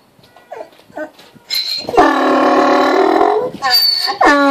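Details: Mo the donkey, also called Moses, braying while waiting for his dinner. Soft rustles and short faint sounds come first, then a long, loud, harmonic, nasal bray, a brief pause, and a second rising blast.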